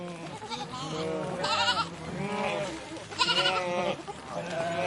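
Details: Sheep flock moving past, loud harmonic bleats in quick succession, some quavering and some short and nasal, overlapping each other roughly every second against rustling ground noise.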